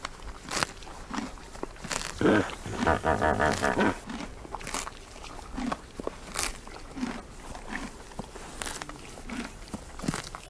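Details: Wild hippo in Uganda eating long grass during the day, loud crunching bites repeated roughly every half second to second, with a human voice speaking briefly near the start.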